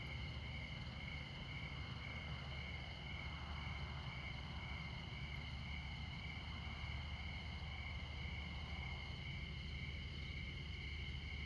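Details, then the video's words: Crickets at midnight in Montana beside Interstate 94 give a steady, high, ringing trill that holds layered tones without pause. A constant low rumble of highway traffic lies underneath. "Midnight Montana Crickets"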